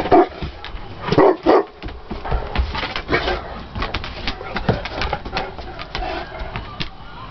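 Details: Willie and Raymond, a pair of English Mastiffs playing together, let out three booming barks within the first two seconds. Quieter growls, thuds and scrabbling follow as the play goes on.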